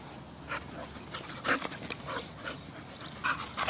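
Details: Bull Terriers at play: Peyton, a nine-month-old rescue puppy, and Quigley, an eleven-year-old rescue. Short scattered bursts of whimpering and panting, with brief soft broadband yelps, over steady low background noise.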